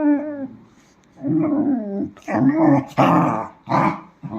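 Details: Dachshund giving low, grumbling growl-like vocalisations in short voiced bursts indoors in a small room, with a brief higher tonal sound at the start and a person calling softly nearby.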